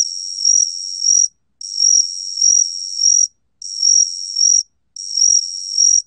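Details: A cricket of the species known in Korean as gaksi-gwitturami, recorded by Korea's National Institute of Biological Resources in 2020, sings continuous high, pure trills about a second long, separated by brief silences, four bursts in a row with no other sounds.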